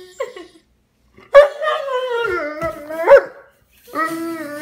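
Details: Tired Dobermann howling and whining as if wanting to go to bed: a short whimper, then a sustained wavering howl that dips in pitch with a sharp yelp-like accent, a pause, and a final steady moan.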